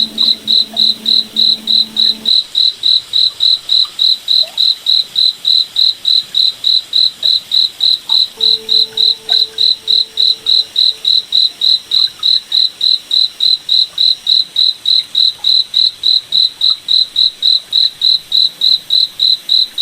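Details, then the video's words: Steady cricket chirps in a moonlit forest at night, sharp high pulses repeating about three and a half times per second without pause, with a faint low hum briefly underneath at the start and around the middle. "Cricket Night Forest Ambience"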